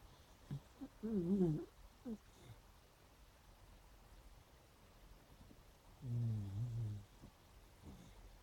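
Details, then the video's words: Dreaming, snoring beagles make a wobbling, rising-and-falling whine with a few soft grunts, then after a silence a low, drawn-out moan with quivering overtones, the room otherwise still. "Snoring and dreaming beagles"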